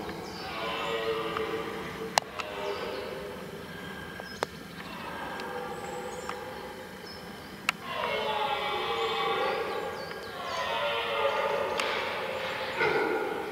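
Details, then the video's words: Red deer roaring during the rut, several long, harsh, moaning bellows in succession, each a few seconds long with strong layered harmonics, separated by short pauses, with occasional sharp clicks or knocks in between. "Mitten im Brunftkessel - Ein gewaltiges Röhren - in the middle of the rutcauldron Red Deer"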